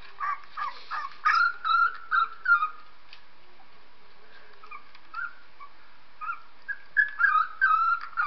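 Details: Dog whimpering while Purdy, a pet dog, listens to a recording of a 3-week-old puppy: bursts of high, wavering squeals and whines, some rising then falling, in two clusters separated by a short quiet gap, with a voice speaking just before.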